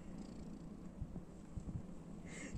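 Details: Calico kitten, female, with an elderly woman: a steady, low, rumbling purr runs throughout, broken by soft clicks and small thumps, with a brief faint high sound near the end.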